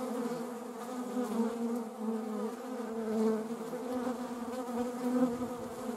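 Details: Soft, sustained humming from a honeybee, quieter and more distant-sounding, holding a steady pitch with small swells; wasps are present nearby.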